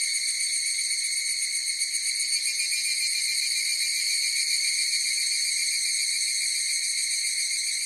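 A chorus of evening cicadas sings a continuous, high, ringing drone with a faint pulsing shimmer.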